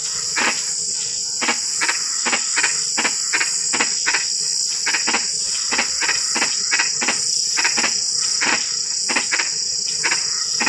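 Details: Frogs calling at night in drizzling rain: short, sharp croaks repeated irregularly, some in quick pairs, over a steady high-pitched drone of insects.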